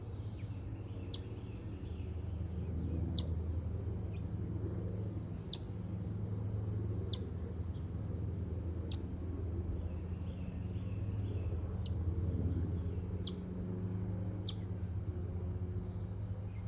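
A chipmunk gives sharp, high chips, one roughly every second and a half, over a low steady hum.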